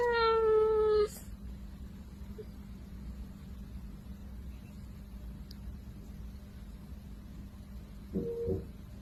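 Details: Kitten gives one loud, drawn-out meow with a rich harmonic tone that slides slightly downward over about a second. A long quiet stretch with low background hum follows, then a brief soft chirp-like call near the end.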